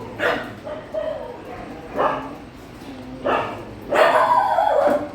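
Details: Dogs at a shelter during night feeding give short yipping barks in four bursts spaced one to two seconds apart, the last one longer and whining, with people talking nearby.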